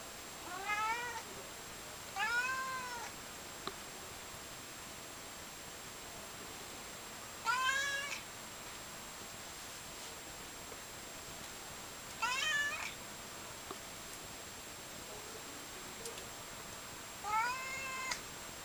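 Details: Siamese cat indoors, meowing loudly after sleeping on a heater, said to be tired; five drawn-out, harmonic meows, rising then falling, spaced a few seconds apart, with a steady faint high whine in the background.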